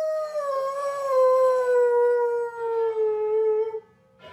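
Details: Dog on Thanksgiving day gives one long, smooth howl with rich harmonics, holding a steady tone that drifts gently lower over nearly four seconds before fading to silence.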